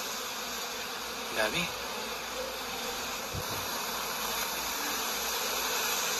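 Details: Honeybees in Canada making a dense, steady hum of many wings, with a brief louder knock near the start.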